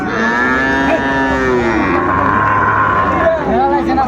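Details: Sahiwal bull calves at Ambari cattle market, bought by a farmer from Faridpur, 29 April 2024: a long, loud, harmonic-rich moo lasting most of the clip, pitch wavering and falling, amid crowd noise.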